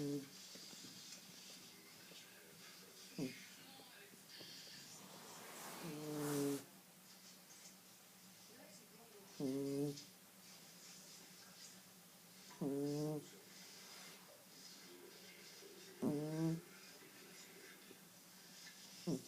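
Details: Sleeping pet cat snoring; short rasping snores come at a steady rhythm about every three seconds, with quiet pauses between them and a brief louder burst near six seconds.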